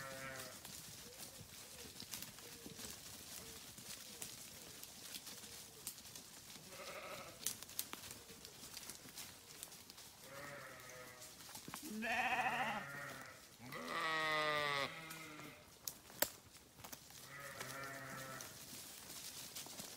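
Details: A flock of grazing sheep (Ovis aries) gives wavering, nasal bleats over steady grazing noise.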